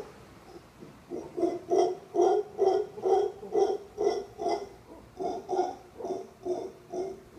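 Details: Male howler monkey at a Costa Rica resort, perched in a tree crook and calling on and on: a steady train of deep, grunting pulses, a little over two per second, rising in strength after the first second and holding throughout.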